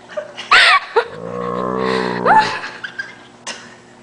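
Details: A male Great Dane lets out a deep, drawn-out groaning moan, likened to a water buffalo, as someone pretends to bite his paw; a short laugh follows.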